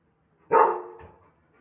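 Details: German Shepherd dog described as rowdy and aggressive, barking powerfully: a single loud, harsh bark that starts abruptly, then fades over about three quarters of a second, followed by near silence.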